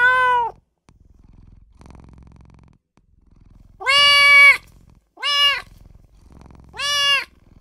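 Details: Newborn kitten crying for mother and owner: a short high meow, a quiet pause of about three seconds, then three more clear meows spaced roughly a second apart.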